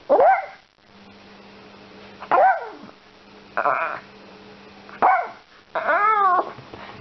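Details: Yorkshire Terrier helping with shopping, giving sharp high yips and barks in separate bursts roughly every one to two seconds, some with rising-falling tonal whine, over a steady low indoor hum.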